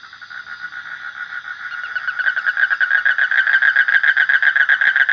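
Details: Frogs calling: a dense, rapid, rattling chorus of mid-pitched pulses that begins softly and swells steadily louder over about five seconds.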